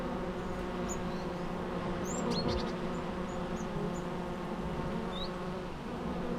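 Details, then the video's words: Natural bee sound, an unbroken deep droning buzz full of overtones, with a few faint, brief high-pitched bird chirps above it. "natural bee sounds"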